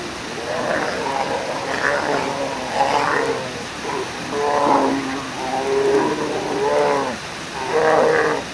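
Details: Hungry brown bear cubs at Brooks Falls, calling on June 24, 2022 while an adult bear catches a fish; repeated wavering, moaning cries in bursts about every second over a constant roar of rushing water.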